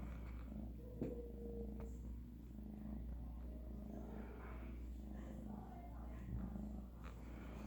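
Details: Low continuous purring from a Siamese shelter kitten during a vet visit with its sister, littermates Tilly and Tia on antibiotics for a UTI; the rhythmic rumble is joined by brief faint voices and a short squeak.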